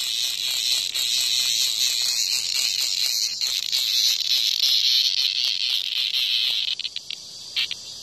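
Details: In front of a house, a cicada seized by a hornet buzzes harshly and steadily in a high shrill rasp, pulsing quickly, then breaks into short stuttering bursts before fading near the end.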